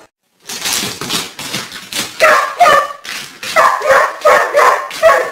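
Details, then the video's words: Barking dog hunting a deer around a garden: rapid, harsh barks repeated more than twice a second, strong and close, some rougher and some more ringing, following a brief silence at the start. "Dog stupid hunts a deer around garden so funny"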